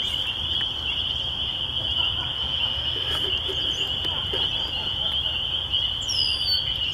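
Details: Spring peepers calling in spring at a country church, a dense chorus merging into one steady high-pitched shimmer of peeps, with a few brief descending bird whistles near the end.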